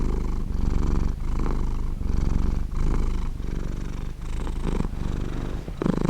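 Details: Domestic cat purring warmly and roundly, a low continuous rumbling purr that swells and fades in rhythmic breaths roughly every second, close and steady.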